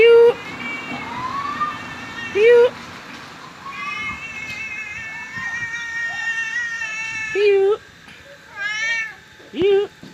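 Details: Domestic cat (unjai in Berau's Banua language) being called by name in Berau, Indonesia: short, level meows recurring at irregular intervals, mixed with longer, rising and falling tonal calls and a faint background hum.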